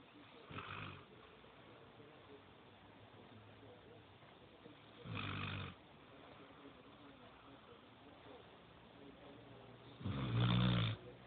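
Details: Golden Retriever puppy Sol Gracia, a young female, snores in her sleep: three low, husky, rattling snores spaced about five seconds apart, the last one loudest, over quiet indoor hiss.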